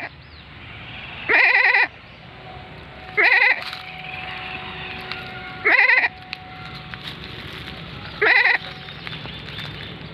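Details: Bleating goat at lunchtime: four short, wavering, nasal bleats spaced roughly two to two and a half seconds apart, each about half a second long, with a faint steady hum between calls.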